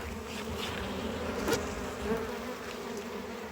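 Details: Steady droning of a honey bee colony as a heavy hive box is separated during harvest; an even, low, unbroken hum with a soft overtone and a few faint clicks.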